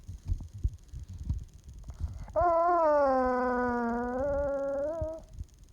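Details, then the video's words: Young puppy whining for attention when petting stops, a so-called Chewbacca noise: one drawn-out, tonal, nasal whine lasting about three seconds, dipping slightly then holding level before fading, with soft thumps and rustling around it. "Puppy makes Chewbacca noises when you stop petting him"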